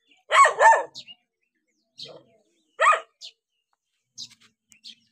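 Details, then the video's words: Dog barking as it reacts to a stranger: a loud, harsh double bark at the start, a single sharp bark near three seconds, then quiet, with faint short chirps in the background. "How Dogs React When Seeing Stranger 11 - Running, Barking?"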